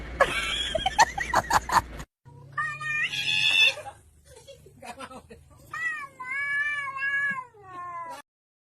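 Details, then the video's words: Cat making weird sounds: clicks and voices give way to drawn-out, wavering meows that rise and fall like a caterwaul, several strained calls in a row, with a brief pause midway. "cats making weird sounds"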